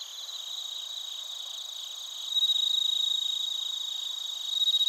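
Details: Crickets, bell crickets among them, sing in Narita, Chiba, Japan, on a TASCAM Portacapture X8. A clear, high, sweet ringing trill over a softer background chorus, growing louder midway in fast, evenly pulsed bursts.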